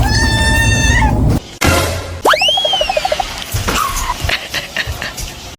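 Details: Rang, a pet Munchkin cat at home, lets out a single sweeping meow that climbs steeply then falls, set among light music and edited sound effects, with softer chirpy notes after.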